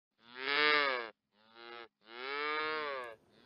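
A cow gives three loud, harmonic moos, the first long and full, the second short and softer, the third long and steady, with brief gaps between.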